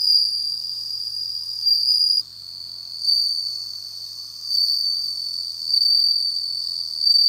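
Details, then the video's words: A captive, home-kept bell cricket sings a pure, high, ringing trill in steady bursts. "鳴いた！飼育している鈴虫の鳴き声 / bell ringing cricket"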